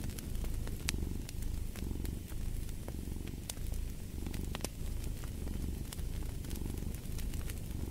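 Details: Close, rhythmic cat purr with a throbbing low rumble that swells on each breath, while a fireplace keeps up a stream of sharp crackling pops in the background.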